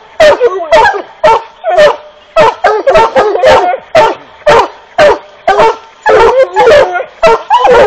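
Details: Black and Tan Coonhound giving loud, harsh barks in quick succession, roughly two per second, some doubled into rapid pairs, sustained through the whole stretch with a faint steady background hum.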